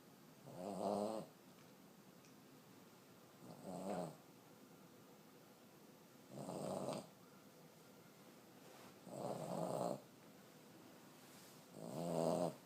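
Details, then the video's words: An elderly 14-year-old female Boston Terrier snores loudly, each raspy, rumbling breath coming roughly every three seconds. "Cutest elderly Boston terrier snoring so hard"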